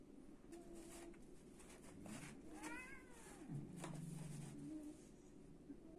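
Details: Cat during a fight, one rising-then-falling meow mid-way followed by a low, steady droning tone, amid scuffling clatter and background noise.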